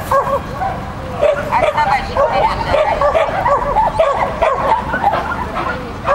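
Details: Shetland Sheepdog Lesya competing in a 'Child and Dog' event on 31 May 2015, yapping continuously in fast, high, bouncy barks, with faint talking underneath.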